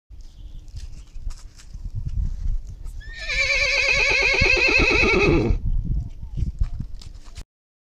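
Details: Horse of a show breed, with a loud whinny lasting about two and a half seconds that starts high and falls in a shaking, quavering run of notes, framed by hoof clopping and low rustling before and after.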